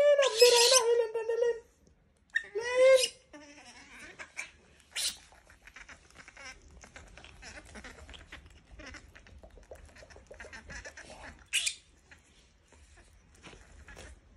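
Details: A pestered monkey gives two loud, hoarse screams, a long one and then a shorter one. After that come soft scattered clicks and rustles in a quiet setting.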